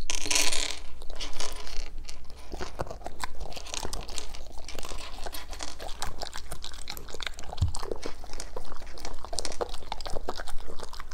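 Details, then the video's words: Indoors, German Shepherds crunch through green foods in a food review, giving a dense, continuous run of crisp crunching and chewing with crinkling noises, brightest in the opening second. "German Shepherds Review Green Foods"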